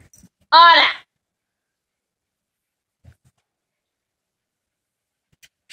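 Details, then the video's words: Male dog kept apart from a female in week two of her heat, who is in another room; one short high harmonic whine lasting under half a second, then quiet room with a few faint clicks. "Male dog while female is in heat/estrus"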